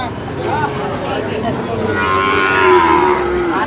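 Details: Sahiwal bull calves offered for sale at a busy cattle market, 22 September 2025, with a Dhaka farmer buying; one long, low, wavering moo in the second half amid constant crowd noise and talk.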